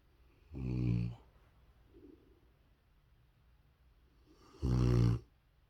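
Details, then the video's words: A sleeping pet Rottweiler snoring loudly indoors: two long harsh rasping inhalations about four seconds apart, low and rumbling, with a faint quieter breath between. "Rottweiler snores as loud as me!"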